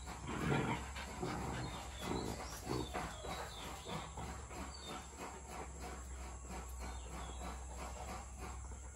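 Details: Rottweiler puppy, 62 days old and born December 29, 2022, play-fighting with its black-and-tan mother Brownie in Sri Lanka; short rough low growling bursts early on, then softer panting-like rhythmic breaths under steady electrical hum and faint high chirps.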